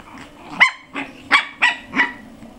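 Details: Six-week-old puppy from a pair, dated 14 January 2013, gives five short, high yapping barks in under two seconds, each a bright burst spaced roughly every third of a second, with a faint low hum behind.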